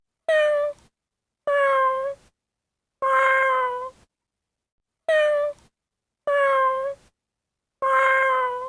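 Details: Cat meowing: six clear, tonal meows, each under a second, steady then slightly falling at the end, repeated at fairly even intervals of about 1.5 seconds with silence between them.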